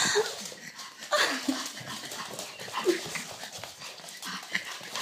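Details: Pug giving short whimpers and yips in brief bursts through about five seconds, with snuffling and rustling noises in between.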